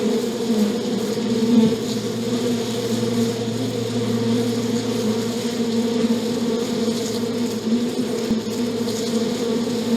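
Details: Continuous buzzing of bees, a low layered drone with a steady electrical-like hum underneath and faint clicks near the end.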